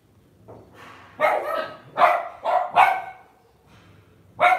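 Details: Lhasa Apso dog kept at home, giving sharp high barks in short bursts, several in quick succession, then a pause and one more loud bark; quiet room otherwise.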